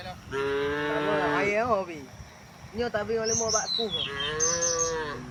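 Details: Tame cows on their morning walk to wide green fields: a long moo rising then bending down, followed by broken, wavering lowing calls, with high bird chirps overlapping near the end.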